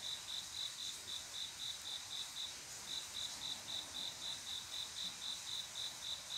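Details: Male cricket's mating call to a female on a still summer night, Korea; evenly spaced short chirps about four per second with a brief break near three seconds, faint background insect hiss.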